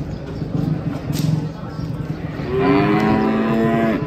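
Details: Cattle being unloaded from a truck give a long, steady low moo rising out of rumbling background noise halfway through and holding to the end.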